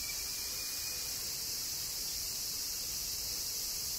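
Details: In Kyoto, Japan, cicadas fill a summer rain with an unbroken, very high, sizzling drone; a thin faint whistle-like tone appears briefly at the beginning.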